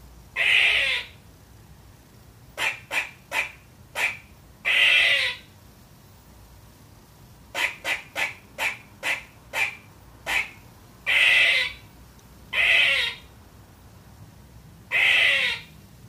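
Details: Baby squirrel Trooper-Marie, a pet, barking at nothing in particular: loud rasping barks mixed with rapid series of short clicking chips, barks recurring every two to three seconds over a quiet indoor background.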